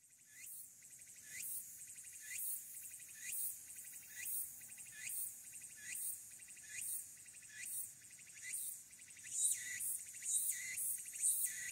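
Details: Walker's cicada singing on Aburayama, Fukuoka City, Japan, 22 August 2022, smartphone recording from the Aburayama Kannon observation deck: pulsed, buzzy phrases with a rising sweep, repeated roughly once a second, quickening toward the end.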